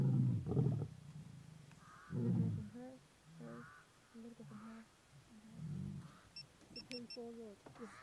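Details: Stage II lions at Antelope Park give deep, rumbling roars that swell and fade, with softer grunting calls in between.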